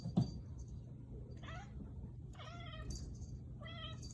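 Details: Figaro, a kitten, chases a laser at home and utters odd broken-sounding calls: three short, rich, warbling chirps spaced about a second apart, with a faint thump at the start and steady low room hum.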